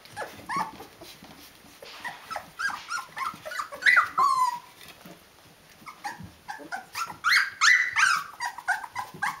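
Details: Rhodesian Ridgeback puppies of the D-litter, 19 days old, making frequent high whimpers and a long falling squeal, with scuffling and rustling between calls.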